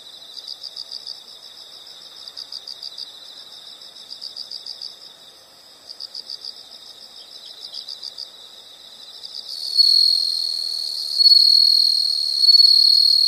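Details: Nature sound of insects: quiet bursts of fast pulsed chirping repeat in groups for about nine seconds, then a louder continuous high-pitched trill rises and holds, dipping briefly before resuming.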